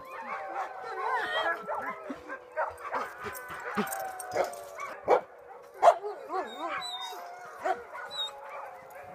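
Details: Tamaskan dogs at a play date, three dogs together: busy overlapping vocalizing with yips, short barks and wavering whiny, howl-like tones, bursts coming roughly every second, with a voice faintly heard.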